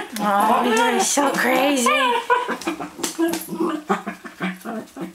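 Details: Theo, a Cairn Terrier, sings indoors to get his ball thrown: a wavering, whining howl rising and falling for about two and a half seconds, followed by choppy bursts of a person's voice in a small room.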